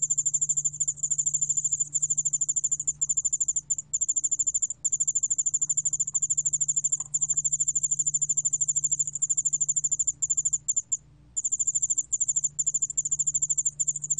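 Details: Yeoul spotted bell cricket (여울알락방울벌레) recorded in Korea by the National Institute of Biological Resources, 2020: a high, steady, fast-pulsed shrill trill running in long bursts with brief breaks near the middle, over a faint low hum.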